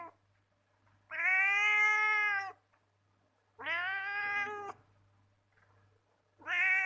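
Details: House cat making sweet noises: three long, clear meows about two seconds apart, each held steady and harmonically rich, the last one cut off at the end; quiet room otherwise.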